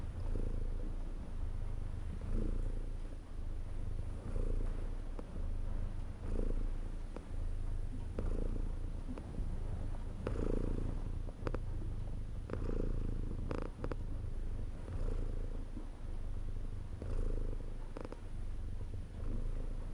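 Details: Domestic cat purring steadily indoors, a low continuous rumble that swells with each breath roughly every two seconds, with occasional faint clicks and small rustles.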